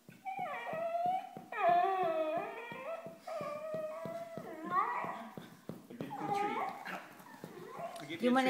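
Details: Dachshund Scooter, a house pet, vocalizing for candy in a small room: sustained, wavering, howl-like whines with sliding pitch, each held a second or more, overlapping with people repeatedly asking whether he wants a treat.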